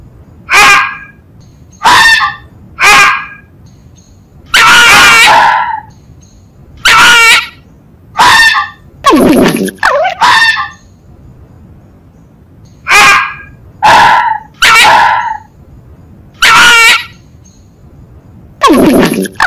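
A fox gives harsh, hoarse yelps, singly or in quick pairs, with short pauses between.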